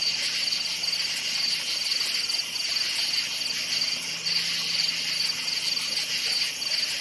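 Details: Crickets chirping at night in a forest: a dense, steady high-pitched trill of short pulses repeating in quick groups, with a constant shimmering insect chorus behind and a faint low hum.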